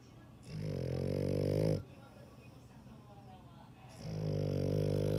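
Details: Deep, rattling dog snores: one long, low, vibrating breath lasting over a second, a quiet gap, then a second snore starting and continuing to the end.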